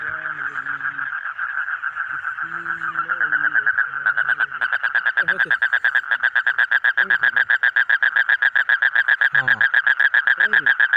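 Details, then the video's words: Pulsed frog croaking, starting softer under some low humming tones, then swelling into a loud, rapid, even rattle of buzzy notes, with faint swooping low sounds scattered behind it. "Different Colorful Frog Sound"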